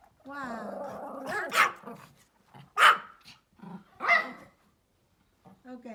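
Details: Small Pomeranian outdoors giving three loud, sharp barks roughly a second apart, after an opening stretch of human speech and a few faint sounds at the end.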